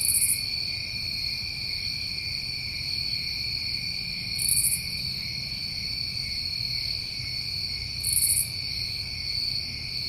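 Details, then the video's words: New England summertime crickets in a steady, shrill chorus of layered high tones, with a brief, higher rasping burst cutting in roughly every four seconds; a faint low rumble underneath. "Over 1 Hour Of Tinnitus Masking With Crickets"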